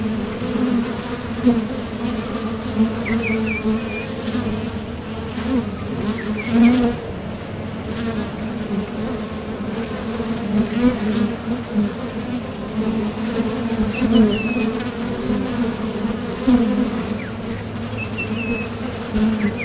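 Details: Honeybees recorded at the entrance of a Top Bar Hive as foragers leave for the field and land, seeking nectar; a steady, low droning hum with pulsing swells, and faint high bird chirps now and then.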